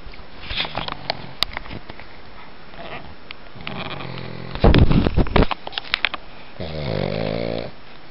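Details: Pug named Gus playing and acting like a cat: short snorting, wheezy breaths and sniffs, a loud burst of rough snuffling midway, then a drawn-out nasal groaning wheeze with stacked tones near the end.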